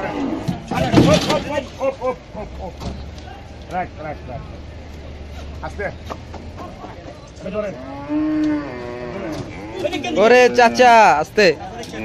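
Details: Aussie bull being unloaded at Paragram Haat market, its owner slipping in mud; low drawn-out moos with bending harmonics come late, amid loud handling clatter, crowd voices and shuffling at the start.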